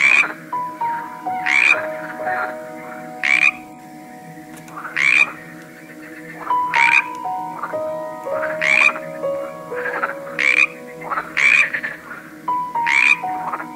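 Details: Frogs croaking in a varied collection: short, harsh, rasping croaks repeated irregularly about every one to two seconds, with softer answering croaks between, over a steady tonal musical drone whose notes shift now and then.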